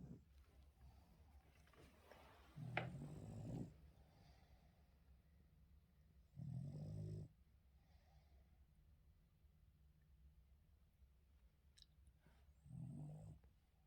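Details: Yoda, a pet Boston Terrier indoors, snoring while being woken in the morning; low, rasping snore bursts about a second long return roughly every four to six seconds, with quiet breathing between them.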